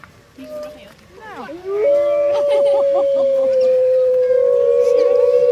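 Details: Pack of captive wolves chorusing at Artis Zoo on 10-11-2013, calling to pack members and warning rivals off territory; rising, overlapping voices merge into a loud sustained level howl with quavering howls layered above. Captured with an HTC One phone.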